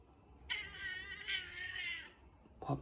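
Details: A black cat meows at 6 am to wake its owner for food after eating through the night. It gives one drawn-out, wavering meow of about one and a half seconds in a small room. A person speaks Korean briefly before and after.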